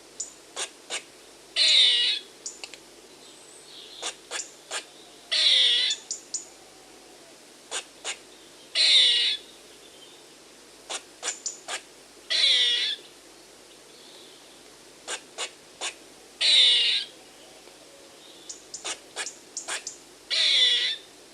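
A squirrel gives harsh, hissing bursts about every three and a half seconds, with sharp clicks in between.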